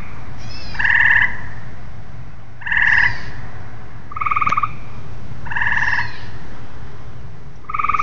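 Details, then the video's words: Several tree frogs give short, rattling, nasal bursts, about five in eight seconds. Some bursts are pitched higher and some lower, suggesting alternating callers, over steady low rumble. "Tree frogs"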